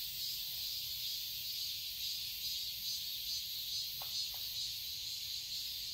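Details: Garden cicadas in Seoul, Korea, on a summer day, sustaining an unbroken shrill buzz with a gentle rhythmic throb, about two pulses per second; two quick faint ticks appear near the end.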